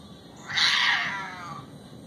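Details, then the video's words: Cats fighting: a single loud, harsh yowl bursts out, strained and wavering, then slides downward and fades over about a second, over a low steady background hum. "Cat fight"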